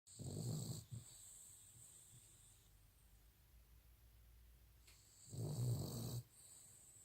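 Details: Cavalier King Charles Spaniel snoring while asleep, recorded in May 2018: two deep, rumbling snores several seconds apart, over a steady high-pitched background hum.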